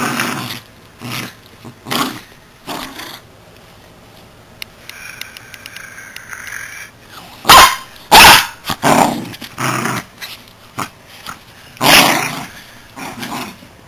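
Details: A Miniature Schnauzer playing with his toy squirrel gives bursts of rough, throaty growls broken by short, sharp barks.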